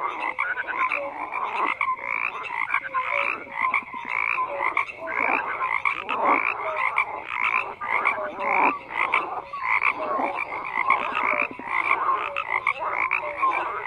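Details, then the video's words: Frogs croaking en masse, overlapping raspy croaks and trills arriving in irregular bursts about once a second, interspersed with short tonal notes, with no other noises. "FROGS CROAKING"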